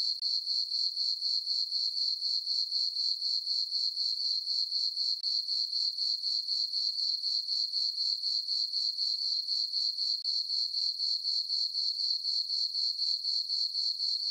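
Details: Crickets chirping on a farm meadow under a full moon on a summer night: a steady high-pitched chirp repeated about four times per second, with no other sounds.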